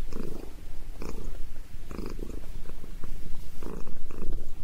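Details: Sabrina the cat purring while getting a head massage; rough low rumbling purr in rhythmic bursts about once a second, with breathy pulses and faint rustling.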